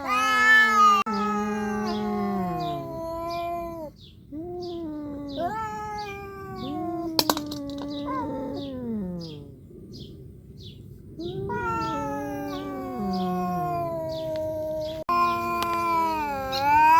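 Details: Tense calico cat fight between Xiao Ai and a nursing mother cat: repeated long, wavering yowls that rise and fall, with short pauses between drawn-out threatening howls, a sharp click partway through.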